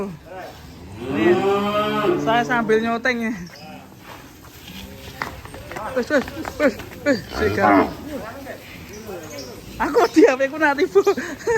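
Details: A cow on an Indonesian farm that had run off: a long moo opening the stretch, followed by shorter lowing calls, overlapping with men's voices, laughter and background music.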